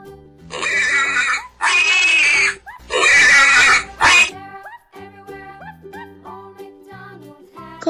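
A pig lets out a run of loud, rasping squeals and grunts, each lasting about a second with short gaps between. Cheerful children's music plays throughout and carries on alone after the pig falls quiet.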